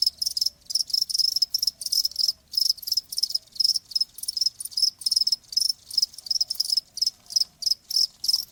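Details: Cricket song meant to soothe tinnitus, heard as loud, regular high-pitched chirp bursts about three per second, each a rapid pulsed trill, with a faint low hum in the background.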